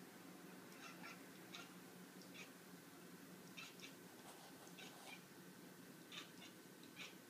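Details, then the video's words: Domestic cat talking to birds outside, giving short clipped chattering calls in irregular bursts over a steady low indoor hum. "Cat talking to birds"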